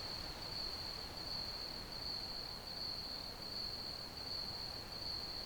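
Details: Crickets chirping in an ambient sleep recording: one steady, shrill, high-pitched trill runs unbroken throughout, faintly pulsing, over a soft wash of low background hiss.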